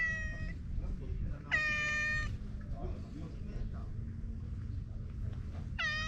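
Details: Talkative stray cat giving three clear, drawn-out meows, each a steady harmonic tone with a slight downward bend at the end, spaced irregularly over six seconds above a constant low rumbling background.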